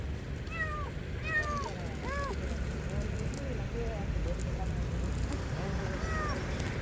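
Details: Hand-sized stray kitten crying under a car: a rapid run of high, bent meows, several per second at first, then fainter and sparser, against a low vehicle hum and a person speaking.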